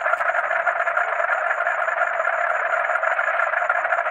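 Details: Night-time chorus of frogs and crickets: a continuous thick wash of overlapping croaking voices beneath a high, evenly pulsed cricket trill, steady in loudness from start to end.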